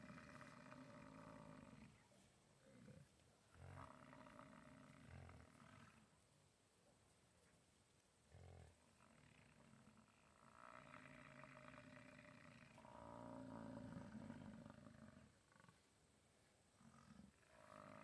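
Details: Rutting American bison at the National Bison Range in Moose, Montana; a series of deep, rumbling roars, each lasting two to three seconds, repeated with short pauses, several overlapping, suggesting more than one bull calling.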